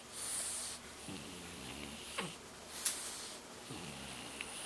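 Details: A French Bulldog lying face-down snores with low, rattling breaths roughly every two and a half seconds; its snoring is compared before and after soft palate surgery.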